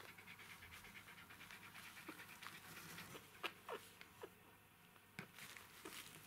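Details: Newborn Jack Russell Terrier puppies, a litter of three females and one male, with soft rapid panting and breathy noises broken by faint squeaks and small clicks in a quiet indoor setting.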